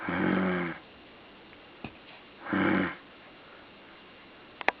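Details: A puppy gives two rough, drawn-out breaths about two seconds apart, harsh and buzzy like a snore, followed by a couple of faint clicks in a quiet room.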